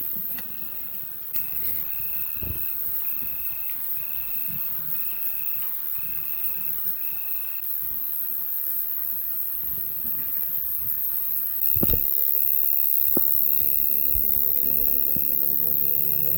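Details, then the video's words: Crickets sing calmly in the hush after a 2024 storm. Short, even chirps repeat about every 0.7 seconds over a low rumble. A thump comes near twelve seconds, then the background grows louder with faint steady tones. "On entend les grillons qui chantent tout tranquillement."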